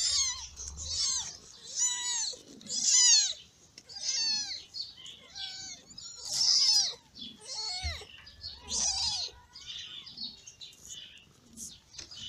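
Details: Newborn ginger cat litter, born in May, crying while being fed by their mother: repeated high arched mews from several kittens overlapping, loud bursts every few seconds over faint rustling.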